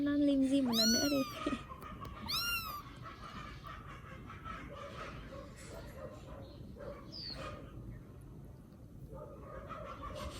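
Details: A rescued baby kitten in Vietnam lets out two loud, high, drawn-out mews at the start, followed by faint distant squeaks over a steady low background hum.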